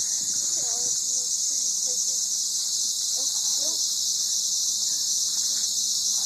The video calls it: The song of the Cicada!